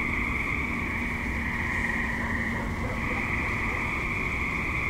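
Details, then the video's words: Suburban tree frogs calling at dusk into night: a steady, shimmering chorus of overlapping high trills that never pauses, over a constant low background rumble. "Tree Frogs - Dusk / Night - Suburban"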